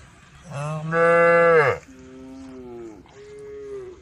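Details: A tame female cow among a grazing group lets out one loud, full moo that drops off sharply, followed by two softer, lower, drawn-out lowing calls.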